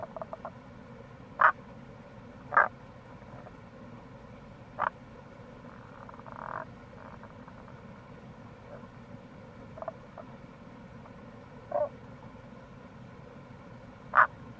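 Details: Wild Tago's brown frogs along the Kamo River gorge in Itoshima, Fukuoka, Japan, in April: scattered brief, punchy croaks at irregular intervals of one to four seconds, some faint and distant, over a steady low rushing background.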